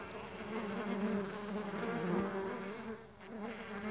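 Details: Mandaçaia stingless bees on the wing: a thick, continuous buzzing hum with wavering pitch, dipping briefly quieter just after three seconds before building again.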